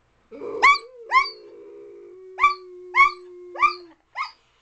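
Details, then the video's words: Dog barks, short and sharp, about six in four seconds, over a steady low drawn-out hum or whine. "Dog Howler"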